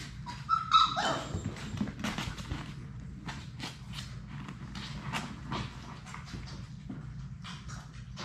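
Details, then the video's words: Six young Labrador Retriever puppies at play indoors in a puppy room; a short, sharp high yelp opens, then only scrabbling paws, knocks and clicks of the romping litter follow. "Labrador puppies at play!"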